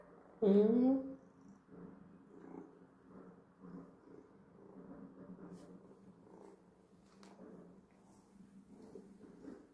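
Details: Young calico cat, just woken from sleep indoors, gives one loud drawn-out meow at the start, followed by a low steady purr and faint human speech.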